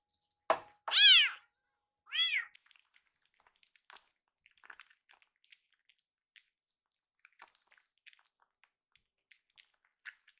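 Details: Rescued baby cat Iru, named for a meow like "iru", pressing for dinner in the kitchen; one short yelp, then a loud meow and a softer one, followed by quiet clicks and taps.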